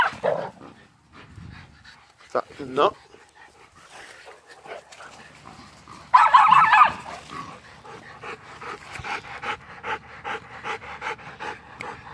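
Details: A feisty, energetic Miniature Schnauzer at play makes scattered rough vocal bursts, one louder and harsher midway, then quick rhythmic panting-like huffs, several a second; a human voice faintly praises the dog.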